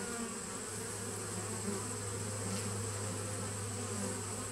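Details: Honey bees at a nuc hive recorded on 19 September 2018, a dense continuous low hum with steady droning bands and a faint high whine running throughout.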